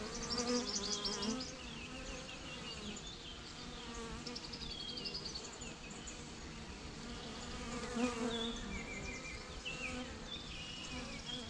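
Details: Long, unbroken low drone of a bee swarm, with the hum rising and falling slightly, over frequent chirping and whistling of birds nearby.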